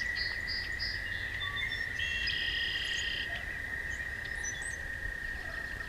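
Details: Night-time toad chorus by a walking path: an even, sustained high trill runs unbroken, while brief whistled bird notes and short higher chirps come and go above it over a quiet low hum.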